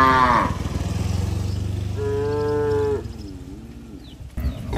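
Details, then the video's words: Tame village herd of cattle heading home to the shed, calling to companions that arrived first: a short higher bellow opens, then a deep drawn-out moo of about three seconds overlaps a higher sustained call, fading into softer rising lows. "Suara sapi Moo memanggil temannya"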